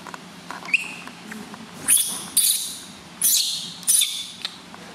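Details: Piercing squeals from a newborn baby monkey at its first bath by a new mother: four strong high-pitched screams with whistled overtones, each about half a second long, after a few soft squeaks.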